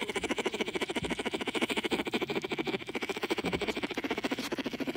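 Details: A baby bear sucking his paw hums himself to sleep at Dade City's Wild Things, a rapid, buzzy, purr-like throb like a lullaby.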